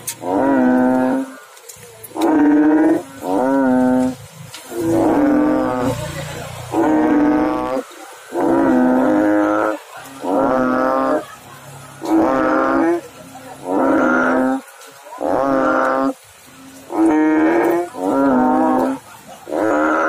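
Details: Frog chorus in water: long, buzzy, harmonic croaks repeated roughly every second or two over twenty seconds, mostly even in pitch, with some calls overlapping and a faint low rumble beneath.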